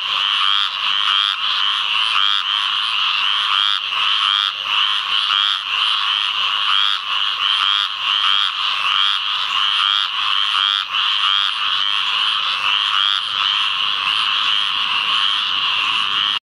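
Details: Squirrel treefrog (Hyla squirella) calls in a field flooded by rains from Tropical Storm Ana, Onslow Co., North Carolina, 11 May 2015: raspy nasal calls overlapping without pause amid a dense chorus of many others.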